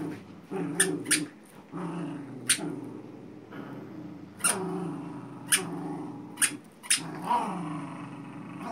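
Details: Playful tug-of-war between a Xolo puppy and a Manchester Terrier, with steady low throaty growling rising and falling and punctuated by sharp snaps and taps as the dogs pull on the toy.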